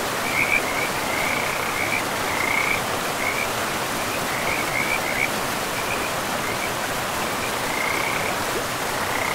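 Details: Frogs by a forest river. Scattered high, pulsed croaking bursts, thinner than a full chorus and with pauses between groups, sit over loud, steady rushing water.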